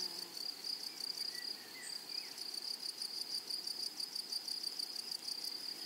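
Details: Wild grasshoppers in a flowery prairie rasp in quick regular pulses, roughly three a second, over a steady high insect hum, with a few short faint whistled notes in between.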